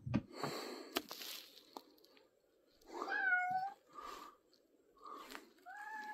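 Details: Domestic cat meowing indoors, recorded 3 April 2024: after rustling and a person shushing, a run of short, rising-falling meows starts at about three seconds, followed by three more brief mews.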